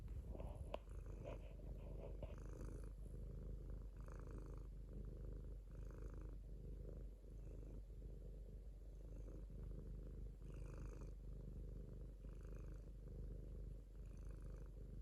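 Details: Domestic cat purring contentedly, a close, low rumble pulsing about once a second, with audible airy breaths on the intake and a brief knock near the start.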